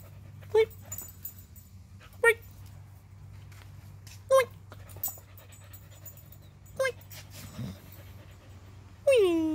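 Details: Husky playing with a bird indoors, giving short sharp yelps or whines about every two seconds, then a longer falling whine at the end; a low steady hum runs underneath.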